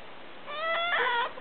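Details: Pet cat begging for prawns indoors, noisily demanding food: one drawn-out harmonic meow rising then levelling, followed by a second nasal meow.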